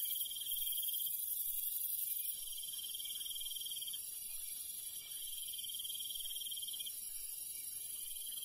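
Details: Countryside crickets at night give a high, rapidly pulsing chirp in long stretches, with dense high insect hiss around it and soft low rustling.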